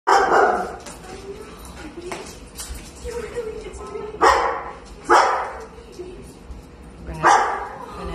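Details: Golden retriever barking during an indoor reunion with its owner after nearly a year lost in the woods; short sharp barks at roughly one, four, five and seven seconds, with people talking excitedly between them.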